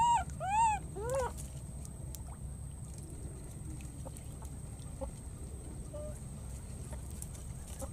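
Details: Wild baby monkey calling for its friend while crossing water: three loud, clear, arched tonal calls with rich harmonics in the first second and a half, then quiet background hum with faint clicks and a steady high whine.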